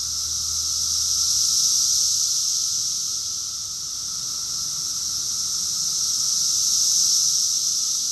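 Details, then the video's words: Rockville, Maryland cicada chorus from June 2021, summer: a loud, sustained high-pitched buzzing wall of sound, dipping briefly midway before swelling again, with a faint lower hum. "Cicadas song || Cicada's chorus song"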